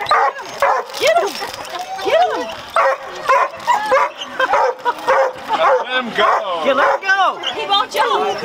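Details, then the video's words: At Lake Dense, a pet dog barks and yips at little fish, with uneven bursts of high, arched yelps and whiny barks over people talking. "Bax Barks At Fishes"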